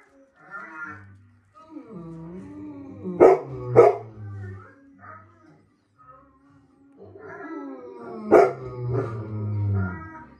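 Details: Golden Retriever reacting to a German Shepherd it recognised on the TV screen: two sharp barks early, a third later, among whining, sliding tones and background music from the television.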